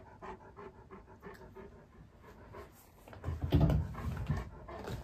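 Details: A male Great Pyrenees indoors in a room with a mirror, curious about his own reflection, which he takes for a strange white dog. He pants in quick rhythmic breaths, about four per second, followed by a louder burst of rustling movement.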